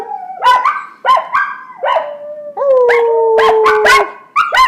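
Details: Jagger, a young puppy learning to howl, helps his younger brother Sasha try too: short yelping attacks leading into steady drawn-out tones, one long gently falling howl near the middle.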